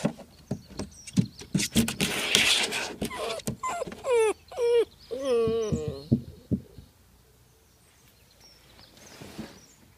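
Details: Nitro, a nine-week-old Vizsla puppy, tries again and again to climb a slide outdoors: bursts of wavering, high whines and yelps with scrabbling thumps, fading to quiet after about seven seconds.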